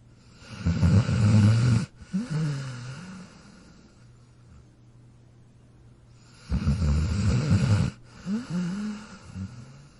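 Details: Dog snoring: two long, rough, low rumbling inhalations each followed by a softer wavering exhale, about six seconds apart, with a quiet gap between.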